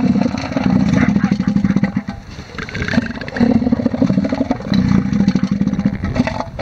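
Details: Rival bull elephant seals on a Sea Lion Island beach, Falkland Islands, fighting over females: throaty, drumming pulsed roars in three close bursts, low and resonant, with faint breaks between them.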